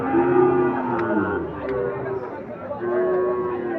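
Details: Sahiwal and Gir breed bull calves for sale at Ambari livestock market: several short, tonal moos with a steady pitch, one near the start and another late, over constant crowd chatter and bargaining voices.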